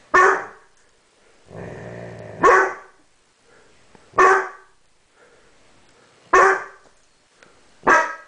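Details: Indoors, young dog Banks, aged 7 months, confronts its mirror reflection with loud abrupt barks every one to two seconds, five in all, with a deep growl between the first two.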